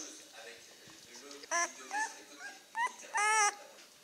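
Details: Czechoslovakian wolfdog puppies at nine days old, from the Heaven & Baron litter of 2016, some with eyes newly open, let out soft murmurs and then louder, clear, drawn-out whines, the last a sustained high cry.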